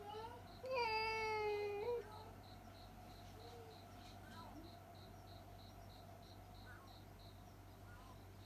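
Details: A house cat lets out a sudden scream upon seeing a cat outdoors: one loud, slightly falling yowl lasting about a second, then quiet with only a soft ticking hum and faint murmurs.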